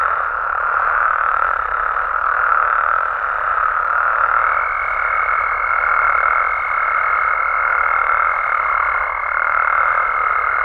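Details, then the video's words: Frogs and toads from Mexico calling together after dark, a massed humming chorus that swells and fades gently; a thin high tone enters about four seconds in and carries on to the end. "Mexican Frogs & Toads Sounds"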